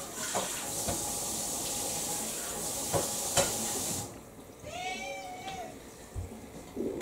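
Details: A single long meow with a rising then falling pitch from Kou-chan, a house cat refusing its dinner in December 2022. It follows several seconds of a running water tap in a room.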